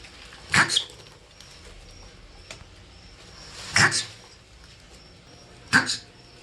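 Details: Marmot giving three short, sharp chirps spaced a few seconds apart over a low, steady background hiss.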